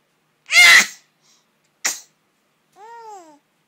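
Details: Gerald, a pet cat, sneezing because of ashes in the air: a loud, sharp burst of sneeze, a shorter second burst a second later, then a brief soft falling meow.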